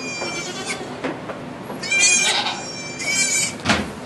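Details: Goat giving birth to two kids in a sugar shack in Quebec, Canada, captured on an iPod Touch 4G; a few drawn-out, wavering high bleats rise and fade over four seconds, with little talking and a soft background hiss.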